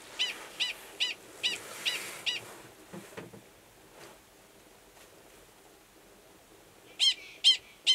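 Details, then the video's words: Gunnison's prairie dog male at Valles Caldera National Preserve, New Mexico, in March 2017, calling before submerging to copulate; short sharp barks in a quick series, a quiet gap, then three more barks. "Prairie Dog Mating Call"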